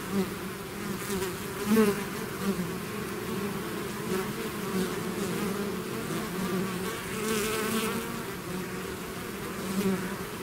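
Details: Hive swarm of bees in full flight: constant droning buzz with stacked low harmonics, wavering overtones higher up, and several sharp close fly-bys punctuating the even hum.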